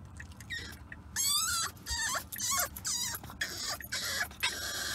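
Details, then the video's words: A French Bulldog puppy, unhappy during a car ride, whines in high, wavering, repeated notes over a low engine rumble. "French Bulldog Puppy Whines During Car Ride"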